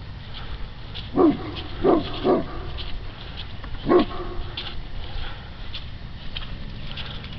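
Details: On patrol, the dog Quidam raises the alarm at something odd on the water with a burst of three quick gruff barks, then one more after a short pause, over a constant low rumble.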